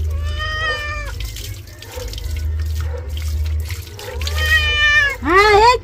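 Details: Pet cat being bathed in the afternoon: a long drawn-out wavering meow, a pause, then another drawn meow and a sharp rising squeal, over a steady hum of running water from the tap.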